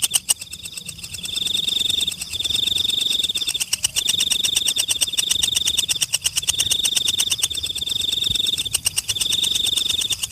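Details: Insects calling in a forest: a rapid, even train of dry clicks with a high, steady whine laid over it in bursts of about two seconds, separated by brief pauses.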